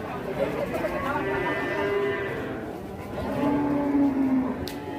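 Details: Fierce cow kept by Indonesian farmers gives low, wavering, drawn-out moos that rise and fall in pitch, ending in a longer steady bellow, with a sharp knock near the close.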